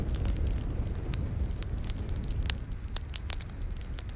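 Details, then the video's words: Close, loud cricket in a nighttime forest by a fire, giving about ten clear high chirps in four seconds, each a brief buzzy pulse, with bright snaps of crackling firewood between. "Campfire In The Night Forest w/ Cricket Sounds"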